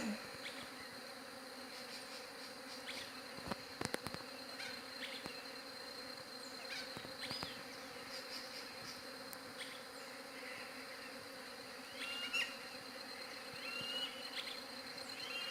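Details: Long stretch of bees humming, recorded on a Galaxy J7 Prime 2 phone: an unbroken, steady drone with bright overtones, scattered clicks and knocks, and occasional faint bird chirps in the background.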